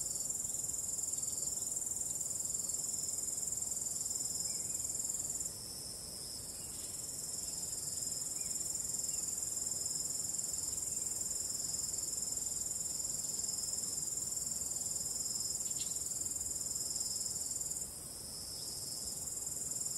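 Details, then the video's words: Crickets at night with a calm wind, filling the air with an unbroken, very high shrill trill of quick even pulses; the chorus thins for a moment twice, then swells again, over faint low noise. "45 min of ambient relaxing cricket sound"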